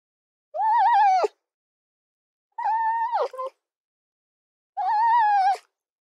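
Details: Red fox calling three times, each a drawn-out whining cry about two-thirds of a second long, wavering slightly in pitch and dropping sharply at the end, with silent gaps between.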